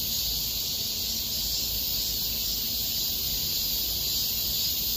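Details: Unbroken shrill buzzing of many cicadas in Miraesarang Park during August 2021, loud and uniform from start to end, with faint low rumble beneath.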